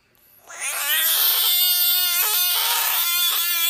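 A Budgett's frog lets out a long, loud scream, a harsh and nasal wail with a rich, buzzy tone. The cry holds a steady pitch with only brief catches before it cuts off abruptly.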